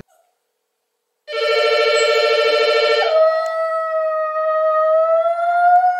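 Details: Poodle howling, a domestic dog in a home recording: a long, steady, tonal howl that starts wavering and low, then slides up and holds a smooth, slowly rising note for several seconds.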